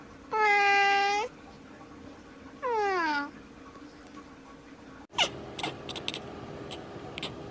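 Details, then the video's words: Domestic cat meowing: two loud, tonal meows, the first steady and about a second long, the second shorter with a falling tone. Both end in quiet, followed by clicks and rustling handling noise. "Funny Cats and Kittens Meowing"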